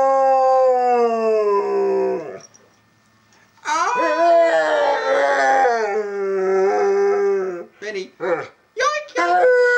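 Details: Benny, a pet dog, howls indoors in a quiet, empty house, urged on by his owner: a long, wavering, sliding howl, a pause, then a second drawn-out howl that wobbles in pitch, ending in short broken yelps.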